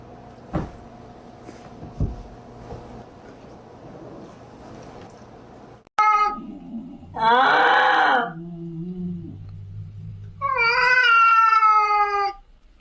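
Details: Domestic cat giving a drawn-out, wavering yowl, then lower moaning tones and a final long, steady, slightly rising meow, after a quiet indoor stretch with a few knocks and a low hum.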